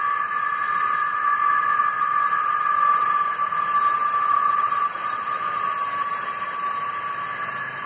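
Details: Chorus of male cicadas in trees calling to draw females during the hot, rainy mating period: a steady, piercing buzz-hiss that holds constant without pauses, layered bright tones and no other voices.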